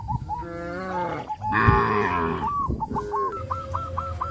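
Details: Cows on their way to the grazing field under the hot sun give overlapping low, strained moos, the middle one louder and rougher, while quick hooked chirps repeat toward the end.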